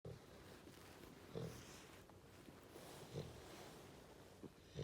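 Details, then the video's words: Female Goldendoodle puppy asleep on a lap, snoring for the first time: soft, low, breathy snores roughly every two seconds, with faint room hiss between them. "My golden doodle puppy snoring"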